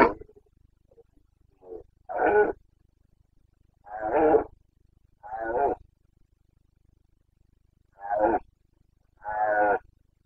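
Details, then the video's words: Boncănit of a Carpathian stag, the red deer rut in Bucovina's mountain forests, Romania, 29 September 2022: six short, coarse grunting roars in irregular bursts over ten seconds, with a softer call at the start. "Boncănit / Carpathian stag Breeding season"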